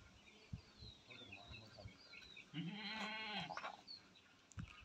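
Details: Big, tall Beetal male goats kept for Qurbani: a single faint, nasal harmonic bleat about a second long comes through amid background noise, thumps and some high bird chirps.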